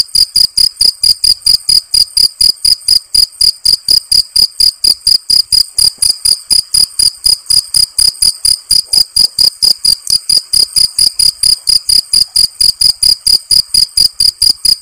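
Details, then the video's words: Field cricket (jangkrik genggong) chirping loudly and steadily, with short, clear, high-pitched pulses repeated about four times per second. The even rhythm holds for the whole stretch, with no other sounds. "Suara Jangkrik Genggong / Jangkrik Sawah"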